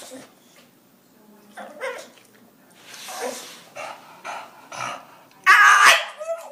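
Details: Pet dog asked about going to the park to see squirrels answers with grumbling vocalizations and short barks, ending in one loud harsh bark, with a person's voice in between.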